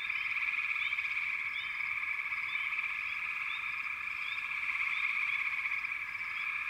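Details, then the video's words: Frogs calling together in a backwater, a thick continuous trilling band topped by repeated short upward chirps every second or so. "Backwater Chorus, & Frog Chorus"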